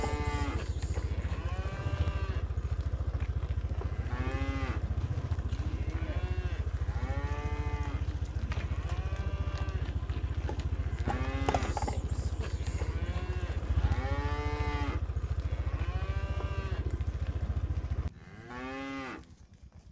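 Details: Village cattle driven home as a group to the pen, giving a run of arched, rich moos roughly every 1.5 to 2 seconds above a constant low motor hum that drops away near the end.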